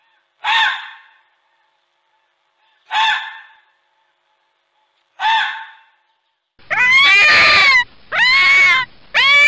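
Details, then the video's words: Red fox (Vulpes vulpes) calling: three separate hoarse, barking screams spaced roughly two and a half seconds apart, followed by a closely spaced series of longer, tonal, wavering wails, each rising then falling. "Fox ( Vulpes vulpes ) calls"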